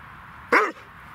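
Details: A Dobermann playing fetch with a stick gives one short, loud bark lasting about a fifth of a second, harmonic and slightly arched in pitch, over a steady low background hiss.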